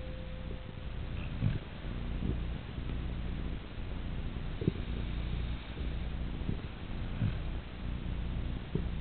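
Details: A sleeping Siberian Husky snoring in a remarkably human-like way, with a steady deep low rumble through each breath and a faint brief tone near the start.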